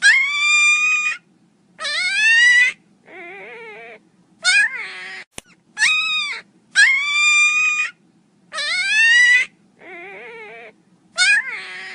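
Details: Loud crying from Miniature Pinscher puppies, made of bright, high whines that bend upward, each about a second long. Quieter, lower quavering whimpers come between them in a steady, repeating cycle, over a faint background hum.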